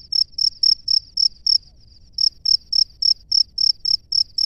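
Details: Male cricket calling to a female from its nest: high, shrill chirps repeated about four times a second, a short run, a brief pause with a faint trill, then a longer steady run.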